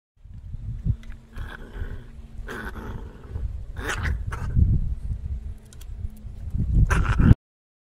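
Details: Dog growling while playing: low, rumbling throaty growls rising and falling over several seconds, broken by rough snorts and scuffling bursts, growing louder toward the end.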